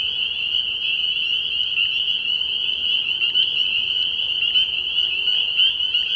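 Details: Spring peepers chorusing from a frog pond on an early-spring night, high piercing peeps repeated so densely by many frogs that they blend into one continuous, even, ringing sound.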